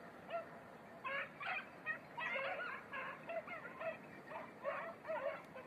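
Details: Red-blue tick and lemon-white beagles in 2021 hare practice on Crete: faraway bays in quick clusters, short and nasal with wavering pitch, rising and falling in loudness over a constant background hiss.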